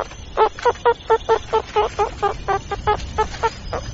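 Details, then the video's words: Meerkats giving a rapid series of short, nasal, chirping calls, about fourteen evenly spaced notes in four seconds over a faint background hum. "Suricatos, som do Suricato"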